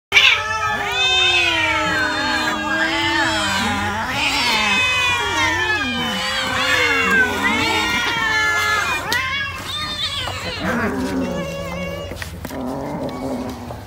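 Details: Cat eating fish gives loud, wavering, harmonic-rich yowls and growling meows, rising and falling in long continuous bends, overlapping one another for about ten seconds, then lower, softer growls near the end.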